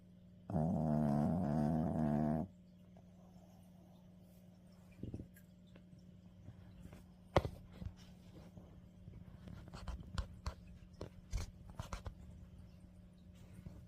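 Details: Maltese snoring in deep sleep: one drawn-out, two-second harmonic snore with a wavering pitch, followed by quiet stretches of faint rustling and small clicks against a low room hum.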